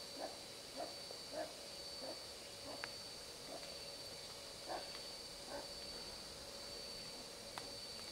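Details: Wild pine marten in the Algonquin Park area, seen on a morning walk and barking at the person nearby. Short, harsh barks come in a quick series about every half second, pause, then return, over a faint steady high hum.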